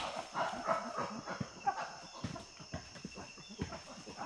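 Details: Chimpanzee in the Tai Forest, Ivory Coast, West Africa, panting and giving feeding grunts while feeding: rapid, breathy, rhythmic pulses at about three to four per second with uneven loudness, over a steady high insect-like hum and a faint whistle.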